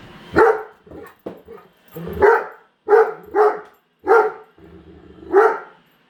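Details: Indoors, a female Great Dane barks at a newly unboxed robot vacuum; about six deep, heavy barks spaced roughly one second apart, with softer huffs and vacuum hum between.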